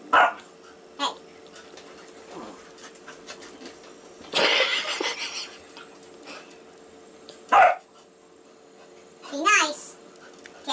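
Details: Two dogs fighting indoors: Molly, a labradoodle, and Casey, a six-year-old basset hound rescued from a puppy mill. Short sharp barks and growly yelps come in scattered bursts, with a longer rough snarling burst midway and a person's voice urging them.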